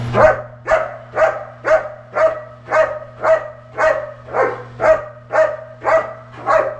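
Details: German Shepherd Sasko, a personal protection dog, searching a building on 30 September 2015. He gives a steady run of loud, deep barks, roughly two each second and about fourteen in all, over a constant low electrical hum.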